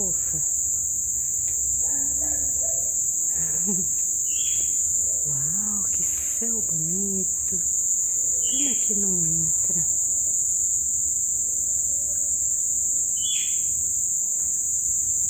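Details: Crickets calling loudly at a colorful sunset after several days of heavy rain: a dense, steady high-pitched trill runs unbroken through the whole recording, while people talk with rising, sing-song voices and brief higher chirps sound now and then.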